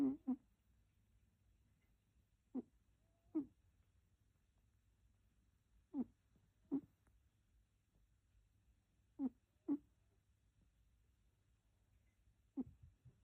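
A sleeping cat snores softly, each breath a short rasping pair repeated about every three seconds.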